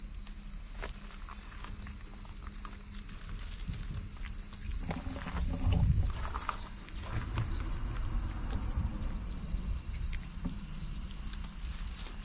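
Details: Cicadas singing noisily in a continuous shrill, hiss-like drone that never pauses, with a pet micro pig's footsteps, rustling and a brief low snuffling sound midway.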